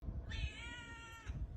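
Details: Drawn-out domestic cat meow with a steady, slightly wavering harmonic tone lasting about one second, over low rumbling background noise and bumps.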